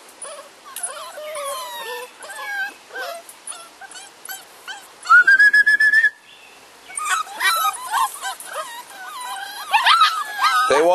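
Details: Six-week-old bulldog puppies from a Felony X Noah litter, penned together, whimpering and whining in many overlapping high, sliding cries, with one longer steady whistle-like whine near the middle; a person talks softly between them.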